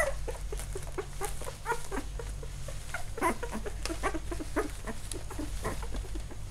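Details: Eight-day-old field-line Labrador Retriever puppy from a newly born litter, squirming about; short, thin squeaks and whimpers come in irregular bursts, with soft rustling and a faint low hum indoors.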